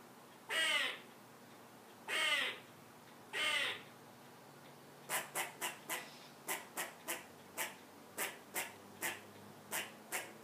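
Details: A squirrel, climbed up to a perch, sounds the alarm at a cat in the yard: three drawn-out harsh calls, then a rapid, irregular string of short clipped chucks, about three per second.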